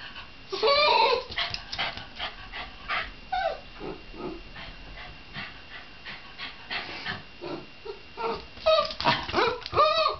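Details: Shiba Inu letting out an irregular series of sharp yips and whiny yelps, fast and uneven, quieter in the middle and swelling into louder arching cries at the end.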